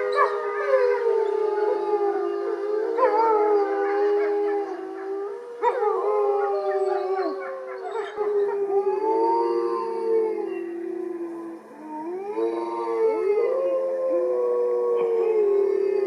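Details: Gray wolf chorus on 20/09/2020: Motomo howls in protest as his mate Mai is taken for a walk and all the other wolves join in, long smooth overlapping tones sliding up and down.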